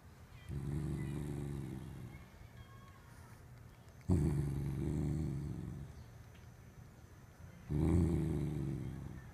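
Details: Corgi named Haru growls while guarding something, face wrinkled up. Three long, low rumbling growls of about two to three seconds each, separated by short quiet gaps, each starting abruptly and fading slightly.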